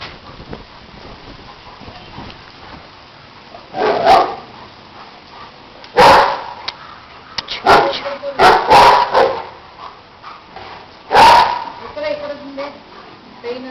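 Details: German Shepherds Ruby and Tuffy at Kollegal bark in loud, harsh single bursts spaced irregularly, some coming in quick pairs, with long quiet gaps between them and faint background noise.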